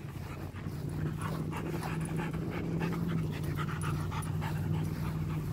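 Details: Rottweiler named Macho panting hard and steadily, quick rhythmic breaths nearly four each second, breathy and low, over a constant low hum with faint rustling.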